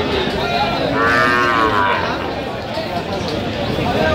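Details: A Sahiwal bull calf at the Aftabganj market, Dinajpur, on 30 September, giving a short, wavering moo that rises and then falls away. Market chatter and haggling voices are heard throughout.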